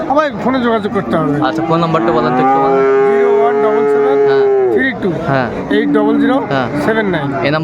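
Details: Bull calves and cattle at Ambari Haat, Dinajpur, on 22 April 2024: a long, steady moo lasting nearly three seconds, then a shorter second low call, with people talking and market bustle around them.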